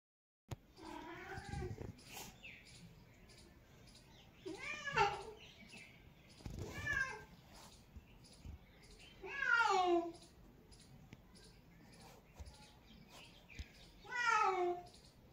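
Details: Domestic cat meowing, five drawn-out wavering meows spaced a few seconds apart, each bending down in pitch at the end, with faint background noise between calls.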